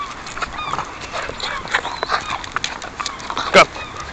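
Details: Seven-month-old Westie puppy in a Dublin, Ireland park: thin, rising and bending whines come in short separate notes among soft rustles and outdoor background noise, with one brief loud knock near the end.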